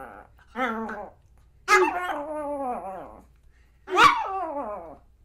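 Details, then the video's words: Pomeranian dog giving three drawn-out, whiny barks spaced about a second and a half apart, each sliding downward in pitch, with a faint low hum underneath. "POMERANIAN DOG SOUNDS"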